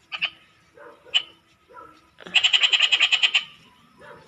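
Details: Frogs calling at night, one bright rapid pulsed trill of about a dozen evenly spaced clicks near the middle, preceded by shorter scattered croaks, with a person speaking softly in the background.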